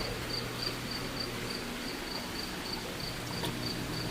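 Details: A cricket close by inside an indoor pool room chirps in shrill, evenly spaced pulses, about three per second, over a steady low hum and faint room noise, with one sharp click near the end.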